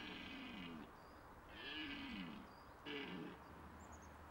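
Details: Red deer stag in the rut at the end of September, when males vie for the hinds' attention; three hoarse roars in quick succession, the middle one longest, bending up then down in pitch, with faint high bird notes behind.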